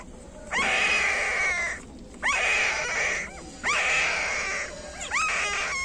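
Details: Whimpering from the newborn pups of a female street dog, nine puppies in all: four drawn-out, high, whiny cries, each starting with an upward swoop and holding steady, spaced roughly a second apart.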